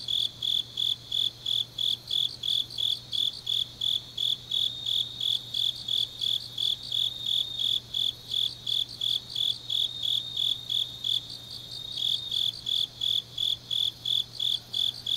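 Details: Deep-night autumn grass insect song from Changnyeong, South Korea: a long run of high shrill pulses about three a second, with a second fainter caller interleaving, and a steady low hum throughout.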